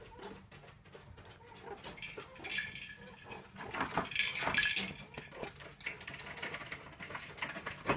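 Meerkats give soft, high chirps and squeaky whimpers, affectionate calls of family recognition.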